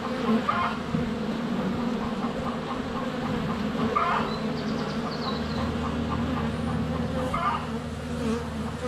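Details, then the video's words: Honey bees crowding around a hive entrance in February sunshine, close to a GoPro Hero 7 Black, give a continuous humming drone while scattered short bird chirps and a thin high whistle sound in the background. "4K Honey Bees - ambient video and audio"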